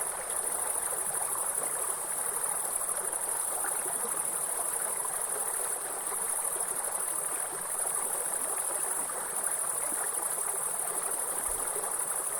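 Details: Shrill, continuous grasshopper trilling in a forest, very high and level throughout, accompanied by the steady hiss and rumble of a flowing stream and waterfall.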